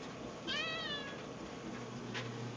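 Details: Hungry house cat Edward meows for food in a pantry near the food bowls: one clear, tonal meow lasting about half a second, slightly falling at the end, then a soft click, over a constant low electrical hum.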